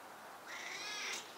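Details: A 10-year-old stray cat conversing with a grandmother gives a short, high meow that rises and holds. A steady background hiss runs underneath.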